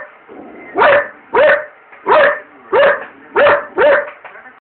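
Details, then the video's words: Belgian Malinois Barney barking at the microwave as popcorn is made, dashing back and forth in front of it, filmed by cell phone: six sharp, clipped barks at roughly half-second intervals, with a faint background hum between them. "Beligan Malinois Barking at microwave"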